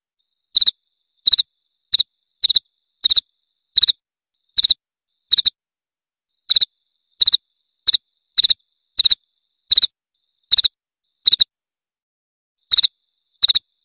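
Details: Cricket, played to repel rats, giving crisp high chirps in brief pulsed bursts, spaced about half a second to a second apart with occasional longer gaps; no other sounds present.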